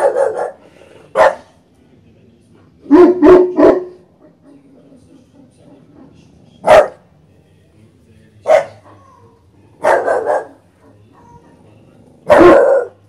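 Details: An English Bulldog puppy and a Cane Corso give short, loud barks in irregular bursts, some doubled or tripled, as they guard their home.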